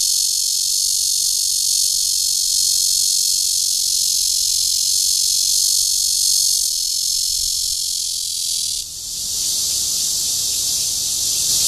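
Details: Red-veined cicada courtship call in Guangming Park, Zhongli, Taiwan: a loud, unbroken high buzzing drone that holds steady, then briefly dips and shifts in tone near the end.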